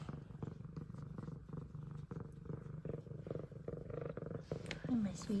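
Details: F2 Savannah cat purring, happy to see its owner returning home, alongside a second meowing Savannah. A continuous low pulsing purr runs throughout, with a brief short meow near the end and a woman talking.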